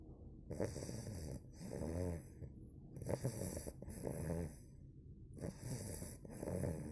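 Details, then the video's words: Bohemia, a two-month-old female Cane Corso puppy, snores in her sleep: rasping, low, wheezy breaths in rhythmic cycles, roughly three snore sequences with short quiet pauses between, close and indoors. "Щенок кане-корсо 2 месяца храпит"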